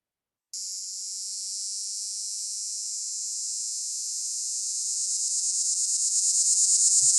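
A Linne's cicada sings a high, steady buzzing whine that grows louder and pulses in its final seconds.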